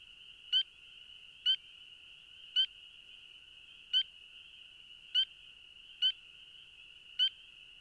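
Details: A lone spring peeper at a woodland vernal pool or pond in Lincoln, Massachusetts, in early spring gives clear, high, rising peeps, about one each second.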